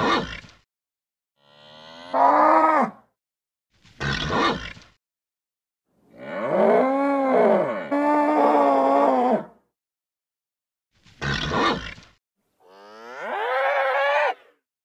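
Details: Nervous bull moaning in arching, wavering bellows of one to three seconds. They alternate with brief rasping grunts, and the stretches between calls are silent.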